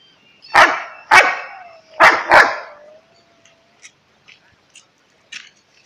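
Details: Pet Alaskan Malamute barking: four loud, harsh barks in two pairs about a second apart, followed by a faint whine and several soft short clicks.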